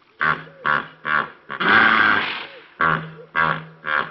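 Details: Male African hippopotamus wallowing in a deep mud pool beside the S25 Crocodile River Road in Kruger on an early morning, giving a series of deep, rasping grunts in regular bursts with one longer, drawn-out roar in the middle.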